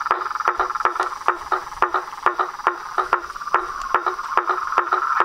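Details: Nightfall frog chorus at a pond by a house, toads and tree frogs together: rapid knocking clicks, roughly two or three per second, over a continuous buzzing mid-pitched trill.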